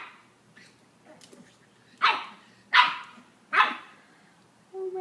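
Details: Ten-week-old black pug puppy barking at itself in a mirror: faint scuffling, then three loud, short yaps roughly 0.8 seconds apart, ending with a woman's voice.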